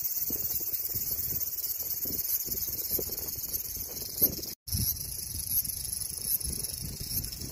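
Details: A cicada's continuous shrill buzz runs throughout, high and unbroken apart from a brief dropout near the middle, over gusty low wind noise.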